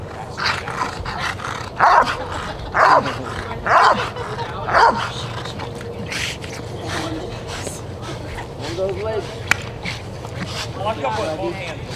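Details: Rottweiler Jefe von Tonatiuh in the IGP3 protection routine of a qualifying trial for the 2021 DVG America National Championships: four loud deep barks about a second apart, then softer mixed sounds and a sharp click, with a voice and background noise.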